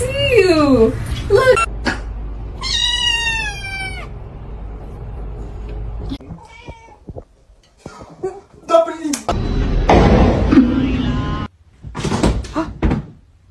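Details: Domestic cat meowing: several drawn-out meows, one falling and others wavering and nasal, in the first four seconds. People talk and exclaim over them, followed by thuds and rustling.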